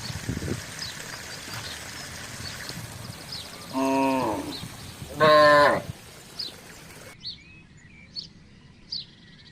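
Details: Village cattle, a herd crossing a housing estate to look for grass and water; two loud harmonic moos about a second apart, the second stronger, followed by scattered bird chirps over low background noise.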